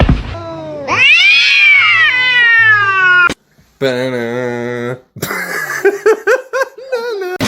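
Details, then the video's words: Domestic cat producing a long, loud, wavering meow that swoops up then slides down over about two seconds, followed by a steady flat-pitched drawn note, then broken speech and laughter. "cats meowing"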